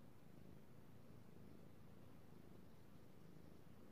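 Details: Domestic cat being petted, recorded 3/16/18, giving a low, even purr that sits under a soft hiss of room noise, steady throughout without breaks.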